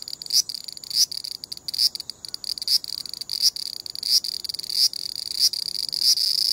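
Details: Grating, choppy song of a large brown cicada: sharp buzzy accents recur about every 0.7 seconds, growing into a more continuous drone by the end. The pulsed form is heard while it moves. Compact-camera recording.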